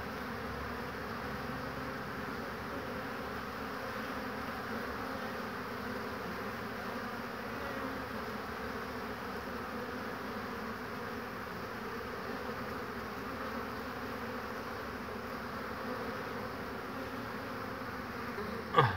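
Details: Honey bees flying intensively into a hive through one entrance on a warm spring day, 22 March 2019, foraging willow nectar and pollen; long, even, low buzzing hum, ending with a sharp knock.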